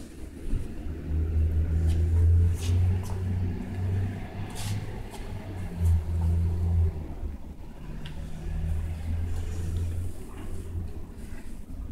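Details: Deep, pulsing vehicle engine rumble rises and falls throughout, with faint clicks and no animal voice.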